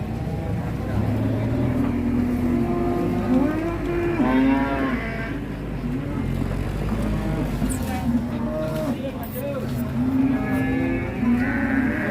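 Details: Huge agitated cattle in Indonesia, raging while being unloaded from a truck, give drawn-out harmonic moos with a rising, wavering call near four seconds, over steady background music and vehicle rumble.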